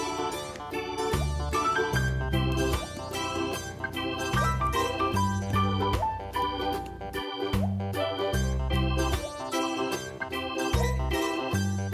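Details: Keyboard music with organ-like chords and a bouncing bass line plays throughout, with no animal sounds.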